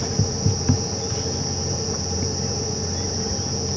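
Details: Continuous shrill buzzing of cicadas, which herald the coming summer, in the South African low veld at Djuma Game Reserve at nightfall on September 14, 2015, with a few low thumps early on.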